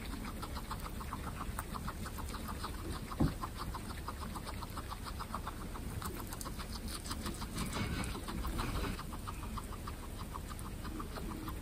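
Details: Pet guinea pigs of Butter's family, from a household of 27 guinea pigs: a fast, steady train of short, even clicking pulses runs throughout, over soft low rustling.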